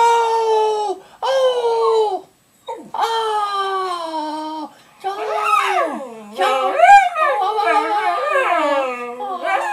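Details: Charlie, a pet dog, howling indoors in long sustained tones that slide slightly downward, broken by short pauses, then turning into wavering, rising and falling yodel-like howls with yips in the second half.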